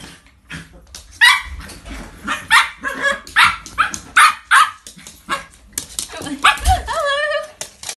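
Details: Two pet dogs playing indoors, Coco a 10-month-old Chinese Crested puppy and Milo a 9-year-old Jack Russell: a run of sharp, loud barks and yips about every half second, ending in a drawn-out whining yelp.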